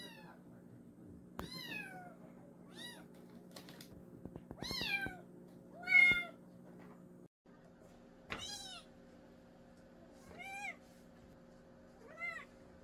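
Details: Kitten from a mountain village meowing repeatedly: sharp, rising-and-falling cries of varied length at irregular gaps, one loud squeal midway, over a constant electrical hum with scattered clicks and taps.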